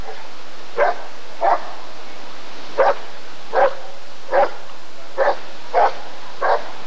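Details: Rottweiler barking during the 1994 ADRK Körung breed survey, eight short punchy barks spaced roughly half a second to a second apart in a fairly even series, with a constant low hum behind them.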